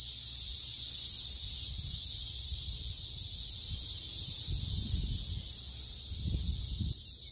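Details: Shrill, steady cicada buzz during lawn mowing, strongest early on and easing slightly toward the end, with scattered low rustling and thudding sounds nearby.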